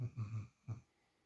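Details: A sleeping female puppy, spoiled and napping in another dog's usual spot for the first time, gives low rumbling snores: three quick snorts together, then a single one after a short pause, in a quiet small room.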